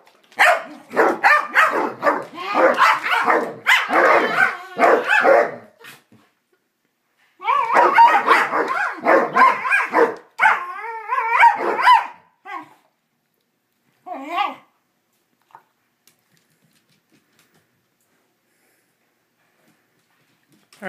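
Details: Pet dogs Psyche and Harvey, playing with each other in a strange mood, let out a long run of dense barks, grumbles and wavering whiny yodels, then a few isolated yips before falling silent.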